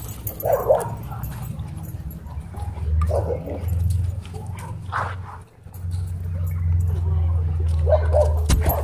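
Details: Dogs playing at a dog park: short rough barking bursts at irregular intervals over a steady low rumble, with a person repeatedly calling out commands.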